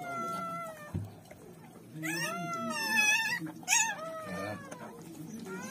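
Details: German Shepherd puppies arriving into the world, letting out strained high squeals: a long sliding whine opening, a thump, then a louder wavering cry, a sharp brief yelp and a trailing whimper, background music faintly present.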